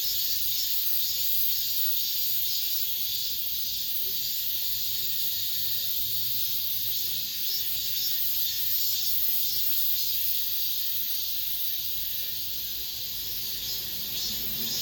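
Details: Cicadas in an apartment complex give the final song of this summer: a continuous high, sizzling chorus with gentle rhythmic swelling roughly twice per second, sustained without pause over a faint low background hum.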